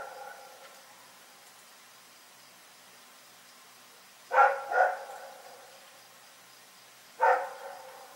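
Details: Rex, a dog, barking in the night: three sharp, harmonic barks, a quick double bark around the middle followed by a single bark a few seconds later, over a quiet, faintly hissing background with an earlier soft tonal sound at the start.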